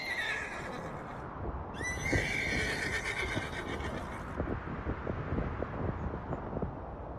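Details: Mongolian horses in Erdenesant district, Töv Province, Mongolia, neighing. A shaky, harmonic-rich whinny opens the recording, and a longer quavering neigh follows for over two seconds. Thudding, clip-clop-like knocks continue beneath a steady outdoor rumble.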